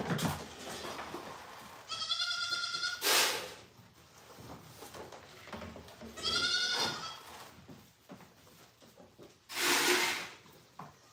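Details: Domestic goats at The Willful Goat Farm & Home, first-freshener does being milked for the first time. Two wavering, nasal bleats about four seconds apart, separated by loud clattering and rustling bursts.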